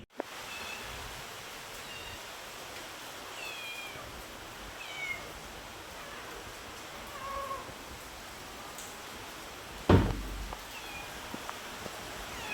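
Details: Domestic cat giving its own sound, a few faint, short meows with a bending pitch spaced about two seconds apart over a steady background hiss, with a sharp knock or thud near the end.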